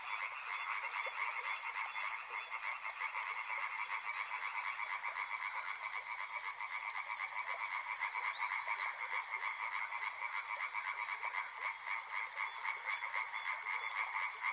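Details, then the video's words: Dense chorus of croaking frogs, fast uneven pulses blended into a steady two-band drone that never stops, with a faint high chirp near the middle. "Frog Sounds | Soothing sounds of river and frogs"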